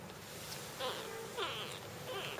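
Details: Jungle cat (Felis chaus) kitten being fed, giving three short, thin mewing cries about half a second apart, each bending up then down in pitch, quiet against a low steady background hum.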